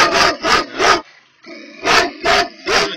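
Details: Tornjak livestock guardian dog at Platak, getting angry: six deep, loud barks, three in quick succession, a brief pause, then three more at the same steady pace.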